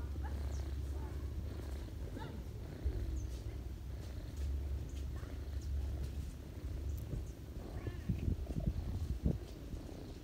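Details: A ginger cat feeds her kittens on a lap in autumn and purrs: an even, low, droning rumble lasting the whole stretch, with scattered faint high squeaks and a few knocks.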